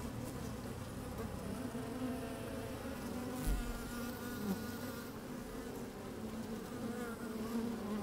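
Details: Honey bees moving about in an opened hive on a fine, sunny day with some wind: dense, even buzzing hum, one brief low thump midway.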